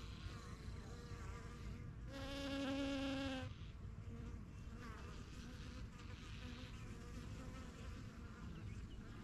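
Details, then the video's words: Busy backyard honey bee hive, with bees flying in and out of their new yellow hive. There is a dense, constant hum, and one bee passes close for about a second and a half as a loud, steady buzz. "BUSY BEE HIVE AMBIENCE"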